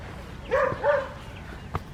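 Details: Adriano, a West Highland White Terrier, on a winter morning in a village garden in Hoat Wala, South Punjab, Pakistan, gives two moderate barks close together, followed by a sharp click in a calm rural setting.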